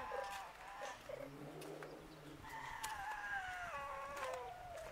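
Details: Street cat giving a long, drawn-out meow that slides slowly downward in pitch with rich harmonics, after a few short tonal calls, over a low background murmur.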